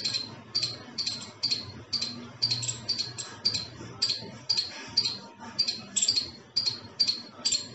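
A squirrel gives sharp, high chirps repeated about twice a second in a steady chattering series.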